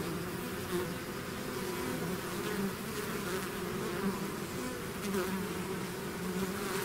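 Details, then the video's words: Many bees swarming out of their hive produce a constant, deep hum. Short nearby buzzes flicker on top at irregular moments while the overall drone stays level. "bees therapy swarm natural buzzing sound"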